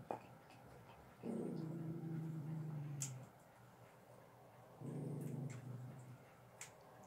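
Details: Indoors on a bed, a Staffy and a whippet chew sterilized bones; a low steady growl holds for about two seconds, pauses, then returns shorter, with scattered crisp crunching clicks between.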